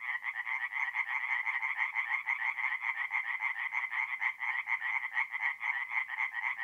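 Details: Night-time tree frog song from a north-east Italian forest pond in mid-April: loud, rattling croaks repeated rapidly and evenly by overlapping frogs, a continuous chorus throughout.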